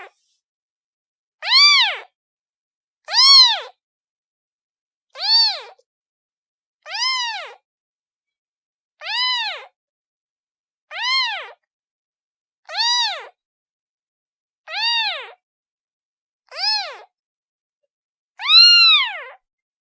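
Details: Kitten crying with a steady series of eleven short, arched meows, each bright and harmonic, repeated about every one and a half to two seconds, the last one slightly louder and lower, with no other sounds.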